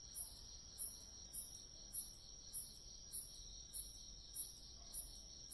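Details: Chorus of autumn grass insects: a continuous high buzzing trill with evenly spaced, piercing chirps recurring at intervals of just over half a second, about ten chirps, and nothing else audible.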